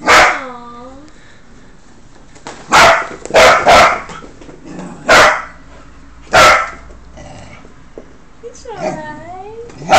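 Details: Cocker Spaniel puppy named Benny, just out of a pet shop and settling into his new home; a high whining whimper opens and closes the clip, with several short sharp barks and yips in between.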